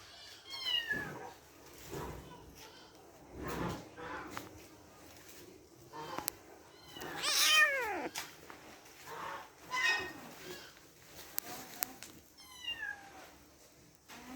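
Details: Kittens playing with each other; many short high mews scattered throughout, several sliding downward, with one louder falling meow near seven seconds, amid scuffling, thumps and faint voices.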